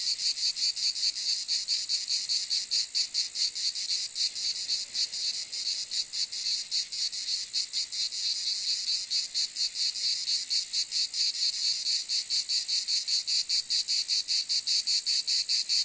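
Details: Long run of cicada noise, an intense high-pitched rattling buzz pulsing rapidly and somewhat unevenly, unbroken from start to finish.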